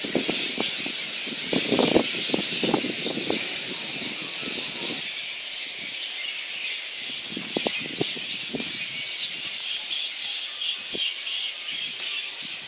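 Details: Roosting little red flying foxes at Boonah, Queensland, Australia, 19 February 2014, disturbed by council and contractors ahead of a dispersal. Constant high-pitched squabbling screeches run throughout, with sharp rustles and snapping sounds scattered through the first half.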